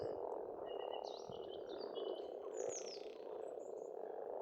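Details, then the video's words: Frogs calling at a pond on a farmstead in Estonia in spring: a dense, steady low croaking chorus fills the whole clip, with high whistled bird phrases and a brief rising bird call over the top. "Расслабляющее пение птиц и лягушек, весна, природа."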